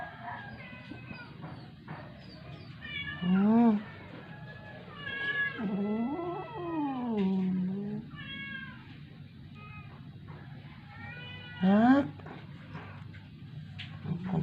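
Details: Dying rescued stray cat brought home from the vet after refusing food for 12 days: long, strained, arching meows spaced several seconds apart, a loud one near the start and another near the end, with soft human murmuring and low background hum.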